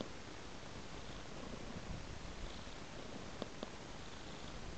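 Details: Purring cat following a trail of raw meat indoors: a steady, low continuous rumble with a few faint clicks near the end.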